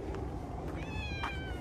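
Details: Stray cat in a park, its coat changed to fluffy winter fur: one short, mid-pitched meow with a steady tone and bright overtones, over a low rumbling background hum.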